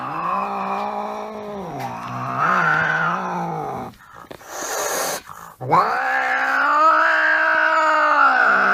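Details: Angry cat producing a loud, sustained low growling yowl that swells and dips in pitch, briefly broken by a hissing spit before the drawn-out moan continues.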